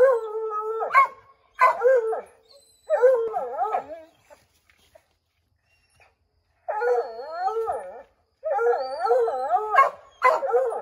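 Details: Redbone Coonhounds baying at a chipmunk up an oak tree, trying to send it scrambling down; long quavering howls with wobbling pitch, several dogs overlapping, a short quiet pause in the middle, then the chorus resumes.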